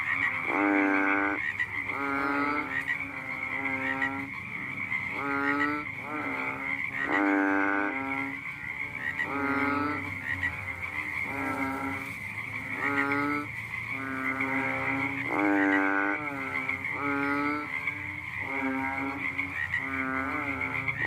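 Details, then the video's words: Frog croaking one night, giving loud, rich, nasal bursts that swell and fade. Roughly a dozen calls arrive about every one to two seconds, with a constant shrill drone running underneath. "The sound of a funny fat frog sounded one night"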